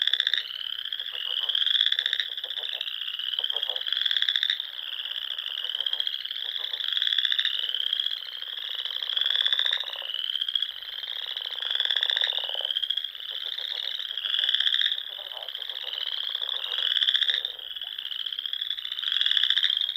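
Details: Dusk frog song across a pond in the rolling Sandhills dunes of Nebraska in spring: an unbroken chorus of high buzzing trills, pulsing in regular swells, with lower rattles and croaks from neighbouring frogs.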